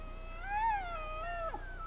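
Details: Rocky Mountain elk calling live: one sustained whistled note rising then gently falling over nearly two seconds, ending in a sharp downward break.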